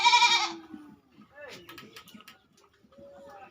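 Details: Goat on a farm in West Bengal, India, in the raised loft shed where the goats stay at night: one loud, nasal, wavering bleat lasting about half a second, followed by a man speaking Bengali and faint bleats from other goats.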